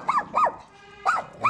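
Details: Dog, a poodle, giving birth to seven puppies all the same colour; three arched, nasal whines, two close together, then a pause and another, with a faint hum between.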